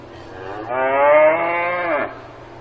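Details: Cow mooing on a farm: one long, steady, richly harmonic moo of about a second and a half that swells, holds level, then drops away at the end, over a faint low background hum.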